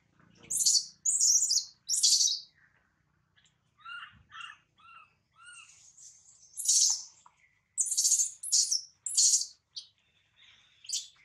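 A newborn monkey gives shrill, bird-like chirps and squeals in short bursts, some rising and falling, as it calls for its mother.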